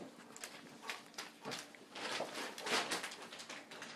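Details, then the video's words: Four-week-old English Cream Golden Retriever puppies, born October 23, 2011, playing indoors just before lunch; short rough yips and scuffling bursts come in irregular clusters, strongest around the middle and last second. "Puppies playing at 4 weeks"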